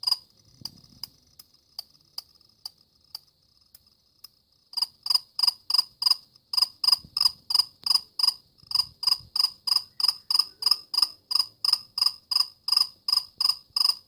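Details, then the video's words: Cricket chirping: after a few seconds of faint, widely spaced ticks, loud regular pulsed chirps set in, each a short high trill, about three per second, with no other sounds. "كيف يصدر صرصور الليل شادي الصوت"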